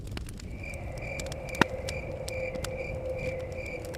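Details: Rhythmic high cricket chirps repeating a few times per second beside a forest cabin, with one sharp fire crack, soft crackling and low blowing wind underneath.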